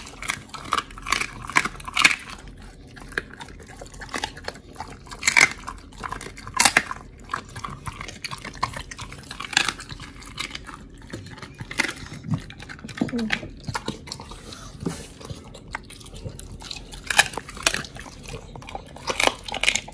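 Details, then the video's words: Oli the Pit Bull eating raw meat indoors: wet, crunchy bites and sharp crackling chews come in irregular bursts every second or two, with moist smacking between them. "Pit Bulls VS.🍖RAW Food [ASMR] MUKBANG 犬が生の肉を食べる[咀嚼音]"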